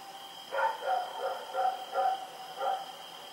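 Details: At night on Oct 7, 2018, Rex the dog runs about barking: a rapid run of five or six yappy barks in close succession, backed by a faint continuous electronic hum.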